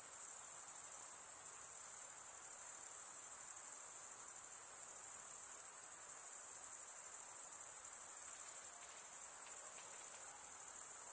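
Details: Insects at night producing an unbroken, piercing high trill that holds an even level throughout, with faint airy background noise beneath.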